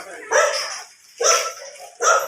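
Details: Belgian Malinois during a stud session in Parayao, Binmaley: three short, sharp barks, each about a second apart, with each bark rising abruptly and fading quickly; faint voices underneath.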